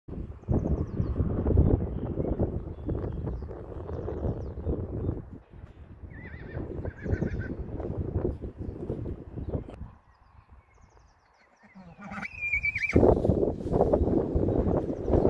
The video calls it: Animal Sounds: Gypsy Vanner Horse Neighing